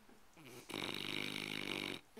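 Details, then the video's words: Tired pet dog asleep, giving one long rough snore of over a second, harsh and rattling, preceded by a short snort; a person encourages it between breaths. "Dog Snores"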